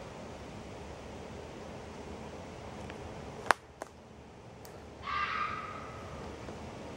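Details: Red fox vixen's single raspy scream near the end, preceded by a few sharp clicks or snaps and soft rustling in a quiet outdoor setting.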